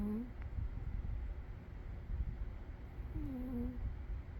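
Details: Umi the cat asleep and snoring, a low rumble with two wavering whistled breaths about three seconds apart, one at the start and a longer one near the end.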